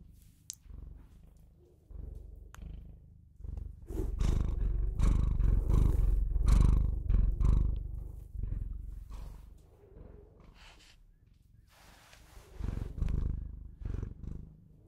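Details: A Bengal cat kept as a pet purrs steadily, giving a deep vibrating rumble that grows loudest in the middle and then fades, with breath-paced swells and a few soft clicks.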